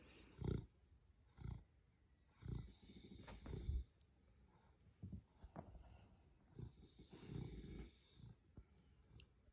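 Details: Rocket, a pet beagle, asleep and snoring very loudly: short, deep rumbling snorts roughly once a second, low and gravelly, with quieter breathing between them in an indoor room.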